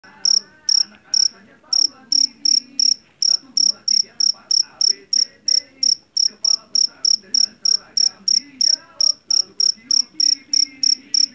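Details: Javanese field cricket (jeliteng), caught in a rice field, known for its loud voice; sharp, high, ringing chirps repeated about three times per second, steady and evenly spaced, with faint low background murmurs.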